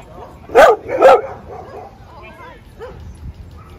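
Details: Two loud, sharp barks half a second apart from a dog at play in a Brooklyn dog park, then faint distant yips and soft chatter.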